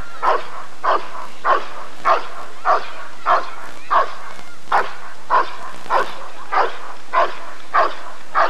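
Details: Rottweiler at the 1994 ADRK Körung breed survey. It gives a steady run of about fourteen loud, clipped barks, one roughly every 0.6 seconds, over faint background murmur.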